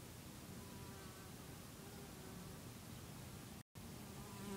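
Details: Bees at around 8am in the early morning, busy outdoors: a steady low droning hum runs beneath broad rushing background noise. Faint tonal bands strengthen toward the end, and a brief dropout breaks the sound near the close.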